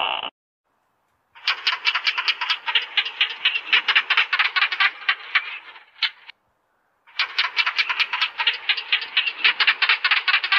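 A gecko chatters in fast, dry, clicking bursts, several clicks a second, running for a few seconds before a brief pause and another long run.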